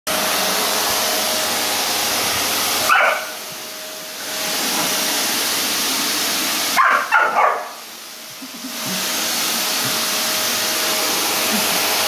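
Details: A pit bull reacts to a running vacuum cleaner, giving two short bursts of high, yelping barks over the machine's steady roar.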